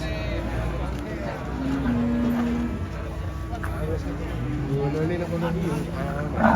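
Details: A group of cattle off the first truck: two drawn-out lowing calls, one low and level and a later one rising slightly, set against steady engine noise and voices.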